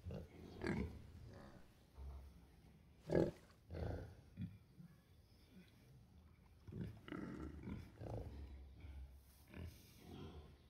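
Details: Two rescued pigs grunting and snoring in their sleep, as if talking to each other; soft, low irregular grunts and snorting breaths spaced a second or two apart in a quiet room.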